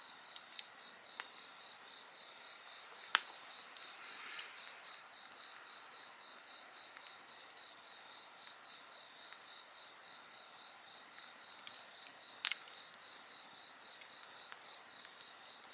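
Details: A dense insect chorus, an even, high, finely pulsed trill with a shrill band above it, carries on steadily while a few loud fire cracks and softer snaps come at irregular intervals.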